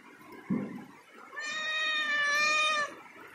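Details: Cat meowing while climbing a ladder: after a brief thump, one drawn-out, clearly harmonic, slightly wavering meow lasts about a second and a half, over faint indoor room noise.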